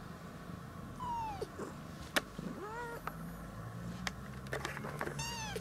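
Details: Chipie, a female light gray tabby cat, indoors in a cat room in Japan, calling while anxiously following a kitten she has been threatening; soft thin meows with falling tails and a rising wavering cry, interspersed with sharp clicks and knocks.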